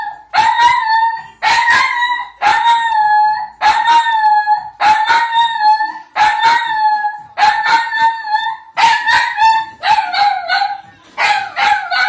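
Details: Domestic dog howling in front of a television, a run of about ten held tonal notes with yelping starts; the last few notes dip lower and turn rougher.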